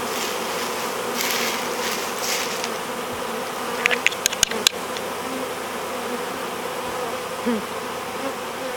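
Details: Hiving of a honey bee swarm, bees fanning at the hive entrance; steady droning buzz with a few sharp clicks or taps in the middle and brief louder whirs of bees passing close.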